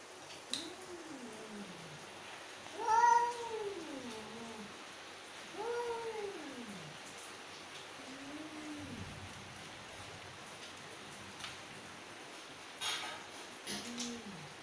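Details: Angry mother cat, a female, giving a series of drawn-out, arching meows that rise then fall, some with rich harmonics, spaced a few seconds apart, over a low background hiss with a few faint clicks.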